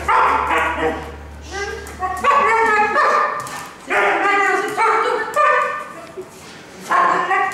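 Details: Young female Alaskan Malamute, almost one year old, excitedly greeting the owner's mother: a string of loud, harmonic yelping and whining bursts, some rising in pitch, about eight in quick succession, with a low hum early on and human voices.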